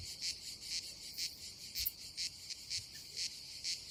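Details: Cicadas at a Croatian campsite by the Adriatic Sea in summer: a shrill high buzz beating in even pulses about twice a second, clear and uninterrupted, over a quiet background.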